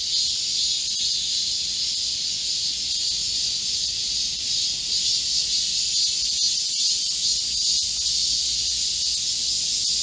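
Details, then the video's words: Midsummer chorus of Korean cicadas in green woodland, heatwave day of 25 July 2024: layered high-pitched whirring and hissing, constant in loudness, with slight ripples in texture. "Korean cicadas, a chorus in a midsummer green forest | 한국 매미들의 한여름 초록 숲속의 합창"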